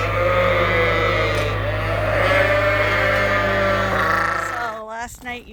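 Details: Many Suffolk lambs crowd a barn at Ewetopia Farms after their groups got mixed, with continuous layered bleating over a constant low hum, ending with one clear wavering bleat.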